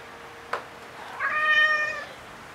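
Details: Black house cat, recorded 7 August 2018 on a FUJIFILM X-T10 camera, meowing after its companion cat recently died: one drawn-out, harmonic-rich meow lasting under a second, preceded by a sharp click, in a quiet indoor setting.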